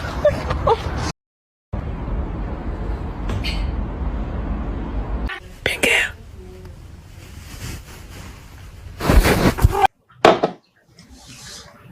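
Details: Speech and whispering with abrupt edits, short silent gaps, a few pops and smacks.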